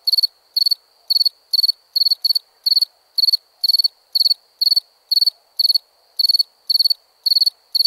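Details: Cricket chirps at nighttime, high and ringing, come roughly twice per second in a fairly steady series, with a couple of chirps crowding closer together partway through.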